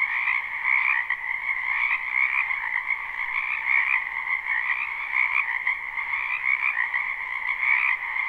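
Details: Crowded frog chorus in a spring wetland, recorded live beside a house: unbroken layered trills and croaks in a high and a mid band, slight surges in volume, nothing else audible.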